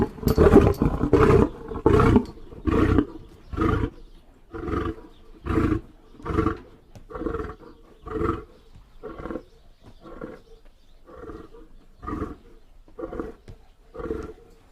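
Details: Lion roaring in a long sequence of about fifteen deep, grunting pulses, loud at first and coming roughly once a second, then spacing out slightly and growing softer toward the end.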